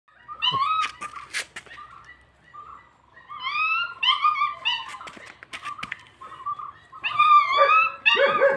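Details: German Shepherd puppy giving high whining whimpers with rising and falling tones, mixed with short yips and a few sharp knocks.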